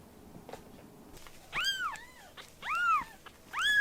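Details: Rescued kittens in foster care call out in three loud, bright meows about a second apart. Each cry swoops up and down with many overtones, after a quiet stretch of light tapping.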